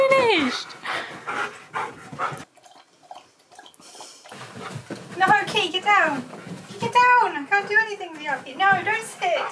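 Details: Key, a pet Siberian Husky refusing to stop talking until played with, indoors: after talk and a quiet pause, a run of rising-then-falling whiny yodels and moans, repeated quickly, mixed with a woman's voice.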